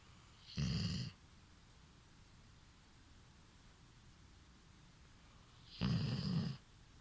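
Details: Hana, a female Golden Retriever aged five, snores in her sleep like a person: two short, low, raspy rumbling snores about five seconds apart, with quiet breathing pauses between them.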